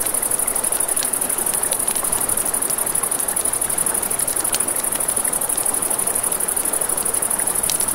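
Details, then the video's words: Crickets trilling at night, a bright unbroken high pulsing chirr, accompanied by many crisp campfire crackles and the steady wash of a nearby river. "Campfire by the River at Night Ambience | 1 Hour of Crackling Fire, Crickets, Ambient Nature Sounds"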